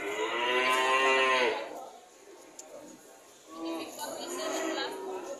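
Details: Cattle lowing: a loud harmonic moo of about a second and a half, a quiet pause, then a second, weaker moo with wavering overtones.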